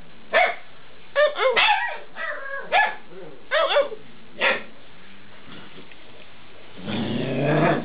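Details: Talkative eight-week-old Alaskan Malamute puppies: a run of short yipping barks and squeaky whines in the first half, then a rising, breathy rustling noise near the end.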